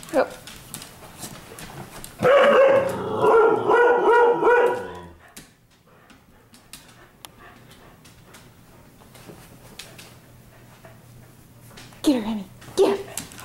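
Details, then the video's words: Pet dogs romping in the living room at night: a loud harmonic growl-whine burst with quick pulsed notes lasts about three seconds, followed by near quiet with faint scuffling, then two short rising yelps at the end. "Dogs Playing Inside"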